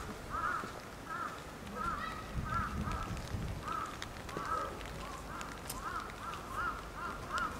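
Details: Hungry, fussing nine-month-old female polar bear Lila at Maruyama Zoo in Sapporo, Japan, on a stormy typhoon morning in October 2015. Wailing, bent cries sound in a steady series, roughly every second, over wind and rain noise, with a low rumble midway.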